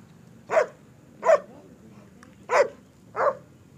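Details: German Shepherd at a sale kennel in Peshawar, Pakistan, giving four short, sharp barks spaced unevenly across roughly three seconds, each a brief loud burst over a faint low hum.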